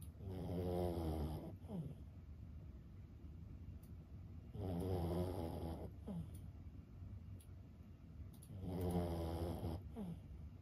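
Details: Lulu, a 15-year-old senior Boston Terrier, snores while asleep indoors; three long rumbling snores, each about a second and a half, recur roughly every four seconds, with soft breathing between.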